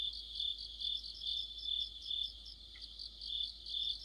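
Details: In the depth of autumn, crickets and fellow insects form a shrill, sustained chorus, rhythmically pulsing about twice per second; one brief lower chirp briefly cuts in near the end.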